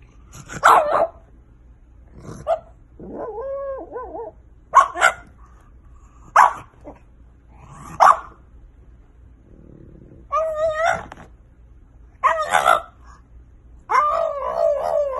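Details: French Bulldog puppies giving short, abrupt barks about every one to two seconds, broken up by several drawn-out, wavering, tonal whines.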